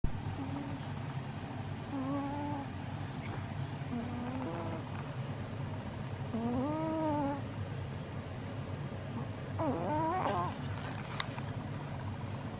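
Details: Chihuahua named Chii-chan asleep and tired out from play, recorded 6 February 2022; soft high whimpering whines, some rising and falling in short arcs, scattered over a low steady rumble.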